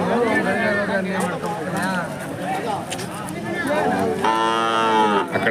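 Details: Hallikar cattle at a cattle market disrupted by rain, dated 20 October 2025; a long low moo with clear harmonics ends the stretch, over crowd chatter and music.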